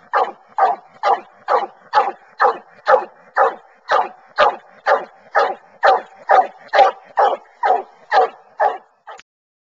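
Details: Bluetick Coonhounds on a coon hunt, running a track in corn before treeing in woods; a rapid run of regular barks near two per second that stops abruptly just before the end.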